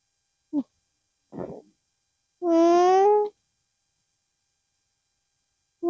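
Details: Llama accompanied by its young making a nasal hum: a couple of short soft grunting sounds, then one strong, smooth, steady hum lasting about a second, with the start of another at the end.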